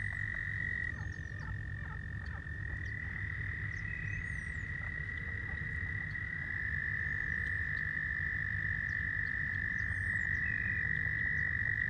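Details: Very loud male American toads calling for females at a spring pond, overlapping long steady high trills running throughout, with faint high squeaky chirps and clucking calls of leopard frogs in the background.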